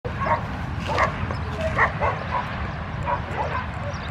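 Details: Puppy giving a run of short, high yips and whimpers, several per second, over a loud rumbling, noisy background.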